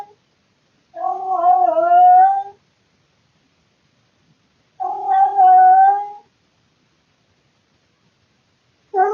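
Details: Loud night-time yowls from a male pet cat indoors, calling out of boredom and recorded by a security camera. Two steady, moaning cries, each about one and a half seconds long, come roughly four seconds apart with silence between.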